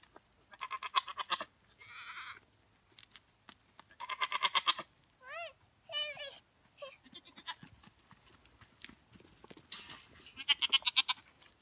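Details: Goats at play with their owner give two quick wavering bleats in the middle, surrounded by repeated loud rough hissing bursts and clattering noise throughout.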